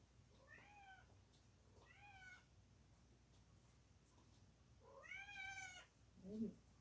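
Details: Mother cat giving birth to four kittens indoors, calling with three short, quavering meows spaced a couple of seconds apart, the last one loudest, followed by a brief low sound over a steady background hum.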